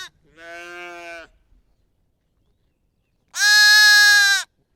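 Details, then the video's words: Two bleats from sheep or a lamb, a softer one followed after a long silence by a loud, bright, harmonic bleat lasting about a second. "Lamb,sheep, bleats"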